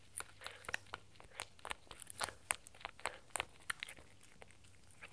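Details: Spencer, a 4-month-old Shetland Sheepdog puppy, gnaws a raw beef bone indoors: sharp, crisp crunches and bites come in irregular bursts, roughly two to four per second, over a quiet room hum with no voices.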